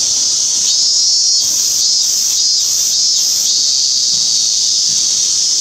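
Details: A cicada, possibly a minmin cicada (Hyalessa maculaticollis) though the identification is uncertain, drones loudly in a steady, high, shimmering buzz with faint pulsing overtones; recorded 17 August 2016.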